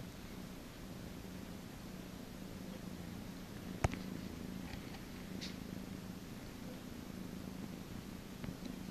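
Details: Domestic cat purring steadily while being massaged indoors, a low continuous rumble that holds an even level throughout, broken once by a sharp click near the middle.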